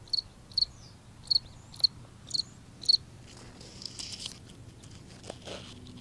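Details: A cricket singing in a front yard gives six sharp, high chirps about half a second apart, then falls silent amid faint rustling.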